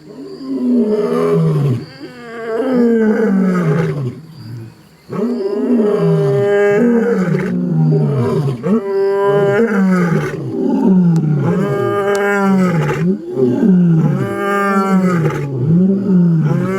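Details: Lion (Panthera leo), roar.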